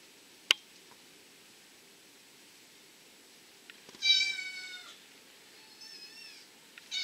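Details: {'text': 'Abyssinian cats and kittens filmed indoors during play, nursing and rest, the kittens born 28 May and 18 June 2014; a sharp click, then after a pause one bright high meow and a softer, shorter cry.'}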